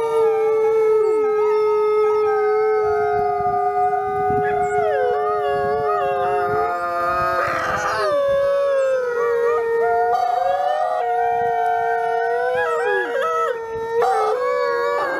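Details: Captive gray wolves, Nikai among them, howling at the Wolf Conservation Center in South Salem, New York, on Christmas Eve. A long continuous chorus: one deep, level howl sustained underneath and several higher voices swooping up and down, weaving over it.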